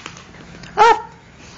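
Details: Black Labrador Retriever, a family pet indoors, gives one short loud bark while being coaxed with repeated commands; quiet room hum before and after.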